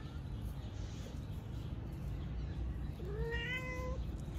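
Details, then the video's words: A worried mother cat meows while looking for her third kitten, kittens enjoying the sun nearby; a single rising, drawn-out meow near the end over a steady low background rumble. "Mano looks worried because she is looking for her third kitten"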